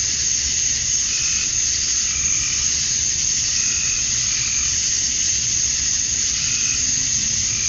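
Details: At summer dusk in Georgia, USA, male cicadas chirp to attract females, producing a constant, high, sizzling drone without pauses and only faint, sparse pulsing notes beneath it.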